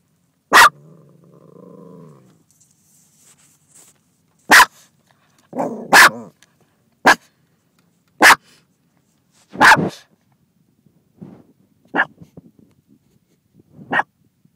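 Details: A female dog barking at another dog in another car: loud sharp barks spaced a few seconds apart, some doubled, with a brief low whine or growl between them and quieter yips near the end.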